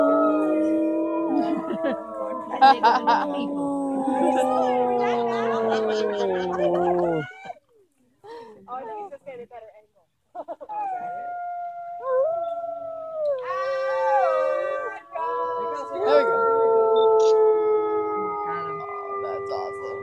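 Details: A gray wolf named Atka howls in drawn-out, tonal calls that rise and sag gently, holding steady notes before stepping to new pitches. Overlapping voices and brief rough sounds come early, then a quiet gap before the howling resumes.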